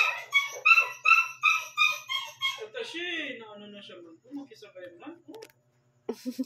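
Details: Shih Tzu puppy, one month and seven days old, barking indoors around 12 am and waking its owner; a quick run of high, yappy barks about three per second for several seconds, then softer whimpers and soft human voices.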